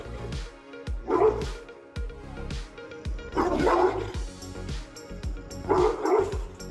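Deep, booming barks of a Dogue de Bordeaux, delivered in three loud bursts over background music.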